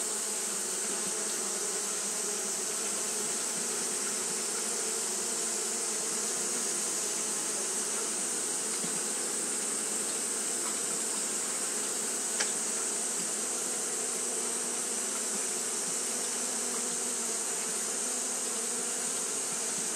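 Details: Continuous fanning drone from Japanese honey bees on a hot day: an even, layered hum that never pauses, with a sharp single click near the middle and a steady high hiss throughout.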